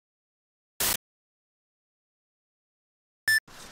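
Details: Near silence broken by two brief sharp clicks, the second with a short tonal blip and faint hiss after it.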